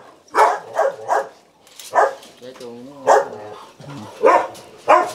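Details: Belgian Malinois at a Ho Chi Minh City kennel, Vietnam, where a female has given birth to ten puppies; loud, punchy barks come singly and in threes roughly every second, with a man talking briefly between them.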